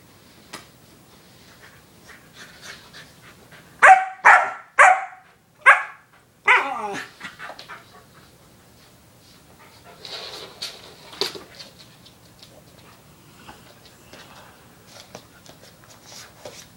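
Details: Indoors, a foster puppy bonding with an older dog, and a burst of about five sharp barks comes in quick succession, then a rougher growly bark, followed by quieter rustling and soft snuffling.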